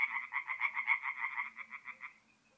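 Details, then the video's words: Brief burst of tree frog croaking from a forest pond at night, mid-April, north-east Italy: quick rasping pulses that weaken and stop after about two seconds, leaving near silence. "relaxing forest pond by night with singing tree frogs"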